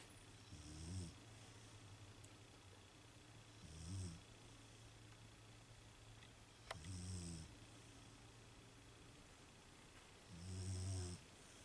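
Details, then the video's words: Female Beagle asleep and snoring, four deep, buzzy snores spaced roughly three seconds apart, with a constant low electrical-sounding hum throughout. "Beagle Snoring"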